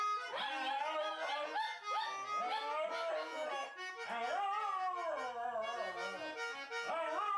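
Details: A wire fox terrier and a toy poodle, two pet dogs, howl together in 'singing' to harmonica or accordion music. Their overlapping wavering howls bend up and down continuously above steady sustained reed tones.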